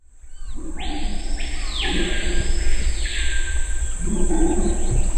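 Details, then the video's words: Deep, rumbling red howler monkey roars in Suriname swell and fade beneath a steady high insect whine. "Howler Monkey sounds"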